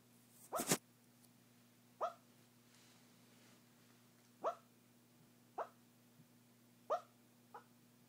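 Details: Dog barking in its sleep: soft, muffled woofs, six short puffs spaced one to two seconds apart after a louder first one, with a steady low hum underneath.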